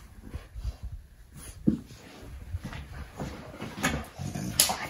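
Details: Fox red Labrador puppy learning to play fight with a chocolate Labrador: short, high whimpering yelps in brief bursts amid soft scuffling and low grunts, with light background hiss.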